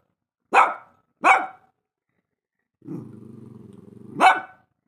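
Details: Barking Shih Tzu: two quick sharp barks, a pause, then a low steady growl of about a second and a half that rises straight into a final loud bark.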